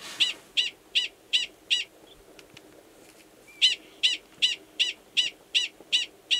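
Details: Male Gunnison's prairie dog in Valles Caldera National Preserve, New Mexico, March, giving a mating call near a burrow holding an estrous female before copulating; sharp high chirps repeated in quick runs of about three per second, with a short pause between bursts.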